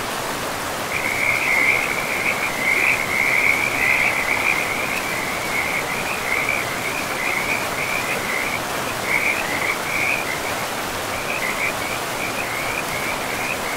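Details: Frogs beside a river in a pristine, mossy forest: a continuous run of high, trilling pulses in uneven bursts, briefly pausing, set against the constant broad rush of flowing water.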